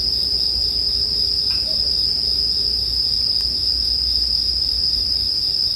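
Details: Bell crickets keep up a constant, piercing high ring with only faint fire crackle and a low rumbling hush beneath, meant as soothing sleep ambience.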